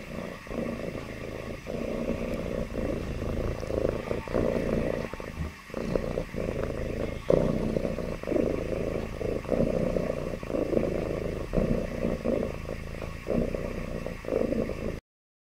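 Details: Happy domestic cat purring: a steady low rumbling drone, evenly broken by short pauses about once a second as the breath cycles, holding at an even level for about fifteen seconds before stopping abruptly.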